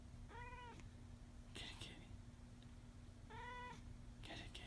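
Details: A talking cat that sleeps on its back gives two short, clear, harmonic meows about three seconds apart, each followed by soft breathy sounds, over a steady low hum.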